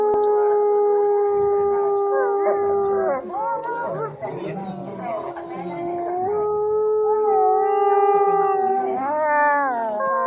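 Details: Captive wolves howling at Asahiyama Zoo during its winter night opening. Several long, steady voices overlap at different pitches. A rough, noisy stretch in the middle gives way to a renewed chorus with wavering, sliding notes near the end.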